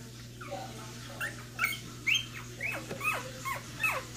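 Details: One-week-old Cocker Spaniel puppies squeaking and whimpering: thin, high, slurred squeals in quick succession, some rising then falling, against a steady low hum.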